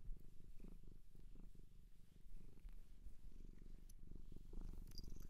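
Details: A domestic cat from a shelter in Japan purrs right at the microphone indoors: a low rhythmic rumble pulsing with its breathing, briefly softening midway, with faint small clicks.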